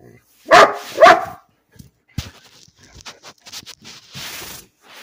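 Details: Bean, a pet dog barking for no reason, gives two loud sharp barks half a second apart, followed by faint scattered clicks, soft rustles and a brief hiss.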